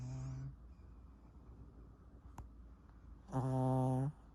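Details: Pet Pomeranian, a young male described as a tiny old man, snoring heavily: a short low rasp, a quiet pause, then a loud, droning, buzzy snore of nearly a second, with a faint click in between.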